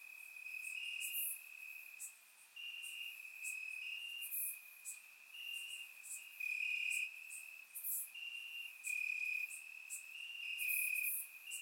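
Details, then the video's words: Crickets chirping in grass on a warm summer night in Bulgaria, recorded with a surround microphone: a steady high trilling tone with louder pulses swelling every second or so, overlapping callers forming a continuous chorus, and faint brief higher ticks. "Cricket Sounds - Crickets Chirping at Night"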